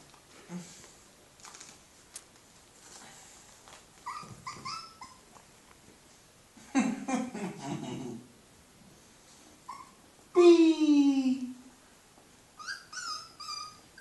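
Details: Puppies indoors giving short, soft high whimpers, then one loud, drawn-out falling whine with a rich harmonic tone, followed by more brief high squeaks; a burst of human voice and room noise comes midway.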